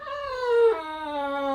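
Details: Boxer dog throwing a tantrum indoors while a calendar is turned to May: one drawn-out whining howl that slides gradually downward, then breaks to a lower steady tone held to the end, over faint background rumble.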